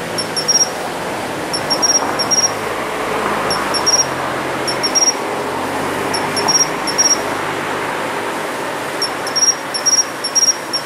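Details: In a city planting bed in early autumn, a Japanese pine cricket sings clipped, high chirps in short clusters every second or two, partly masked by a louder rumbling hum of traffic or machinery.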